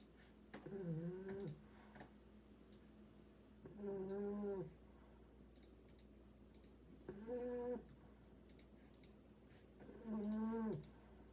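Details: Sleeping English Bulldog puppy snoring indoors: four long nasal, tonal snores roughly every three seconds, each lasting about a second with wavering pitch, separated by quiet breathing and faint clicking in the room.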